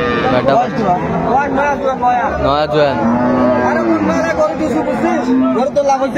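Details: Cow with calf at Ambari weekly market (hat), Dinajpur, on February 28, 2025: a drawn-out, harmonically rich lowing moo swells midway through, set against dense market chatter and overlapping human voices.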